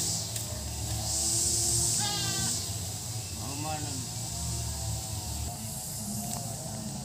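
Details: Goat at its bahay kubo, a nipa-hut shelter: two wavering, harmonic bleats around the second and fourth seconds, set against a steady high insect drone, low background hum and some human voice.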